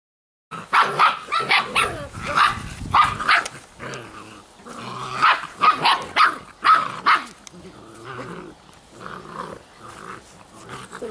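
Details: Giant Schnauzer puppies from a litter give bursts of high, harmonic yelps and whines, clustered at the start and again midway, then fading into softer, scattered whimpers.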